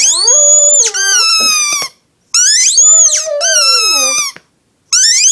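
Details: A female Shih Tzu howls along with her yellow squeaky toy during play, in long, wavering notes that swoop up and then slide down, with short breaks between.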